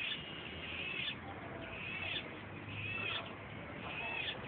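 A steady, shrill cicada buzz that swells roughly once a second.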